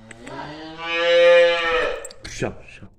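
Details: A cow suffering from scabies, thin, itchy and losing hair, gives one long drawn-out moo that swells to full strength and then fades. Quieter sounds come before it, and a person starts talking right after it ends.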